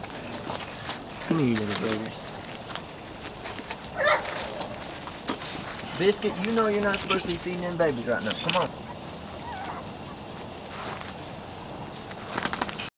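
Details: A 3-4-week-old Weimaraner x Vizsla litter gives a falling whine early on, then a cluster of quavering cries around six to eight seconds. Scattered knocks and handling noises are heard between the cries.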